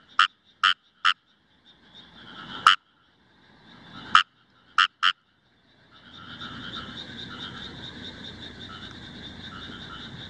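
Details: Indian rice frog calling in Himeji, Hyogo, Japan, on 1 July 2018, recorded with a Nikon COOLPIX AW130: sharp, clicky croaks, three in quick succession, then isolated ones, before a steady pulsing frog chorus rises after six seconds.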